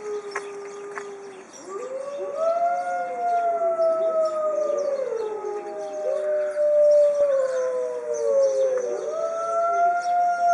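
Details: Several captive white Arctic wolves howling in unison at a zoo; a lone steady tone opens, then overlapping voices swoop up and bend down in long mournful slides that continue to the end.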